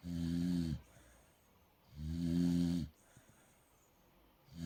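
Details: Molly, a pet dog, asleep and snoring like a pig: two long, low, rumbling snores, each just under a second, about two seconds apart, with steady background hiss between them.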